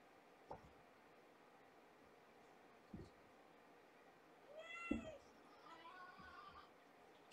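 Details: Domestic cat family indoors: a 1.5-year-old mother with five kittens born September 24th, two female and three male, that climb over her and crowd her as she walks. Two short, high, harmonic mews sound near the middle, with soft thumps and rustling around them.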